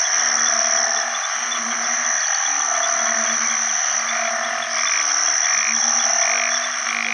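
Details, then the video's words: Banded bullfrogs, the house species known in Isan as ueng khi khan, calling for mates in water after heavy rain at the start of the rainy season. Overlapping low, droning nasal notes repeat steadily over a dense, high, shrill chorus of frogs and insects. "อึ่งอ่างร้องหาคู่ bullfrog call"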